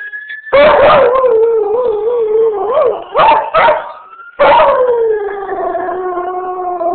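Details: Set off by ambulance sirens, a beagle/shepherd cross gives a loud yelping onset, then a long quavering howl that slowly falls, with two brief barks and a final sliding howl; siren tone in between.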